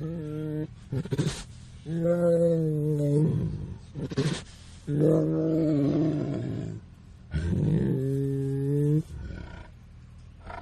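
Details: Tiger heard at close range giving long, steady, low-pitched roars, each held one to two seconds, four in a row at uneven intervals, separated by brief snorts and quiet pauses.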